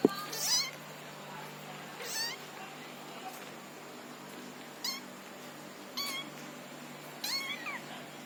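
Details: Orange kitten learning to walk, crying with six high, thin meows spaced one to two seconds apart, each short and bending up then down in pitch, over a low steady hum.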